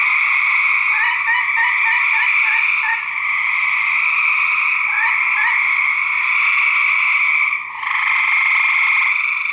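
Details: Male gray treefrogs fighting, 2010 research recording: a rapid series of short pulsed notes, roughly four per second, rides over a dense trilling chorus early on, then the steady drone continues with a brief gap near eight seconds.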